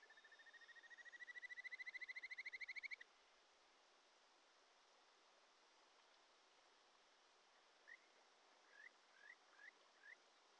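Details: Japanese stream frog in a Shin'etsu mountain stream, early July, Japan: a rapid, rising-in-volume trill of sweet whistled pulses lasting about three seconds, then silence but for rushing water, followed by five spaced single chirping notes.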